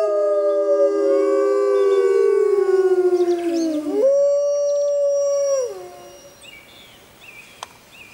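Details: Grey wolves howling in the wild, recorded in a jungle during a full moon: overlapping descending howls give way to one level, held note that fades out, leaving faint distant background sounds.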